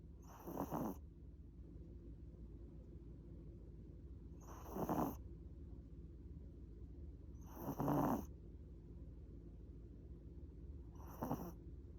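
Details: Chihuahua named Mozuku asleep on a lap, snoring heavily: four low, rasping snore bursts about every three to four seconds, with quiet breathing between them.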